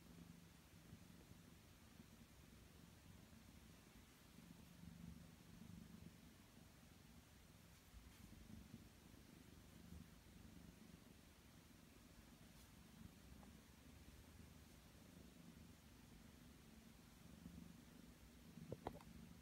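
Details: Two Ragdoll kittens, aged six and three months, purring contentedly while their paw fur is trimmed with ordinary scissors during a nap indoors; a low, steady rumbling purr runs throughout, with faint rustling and a brief click near the end.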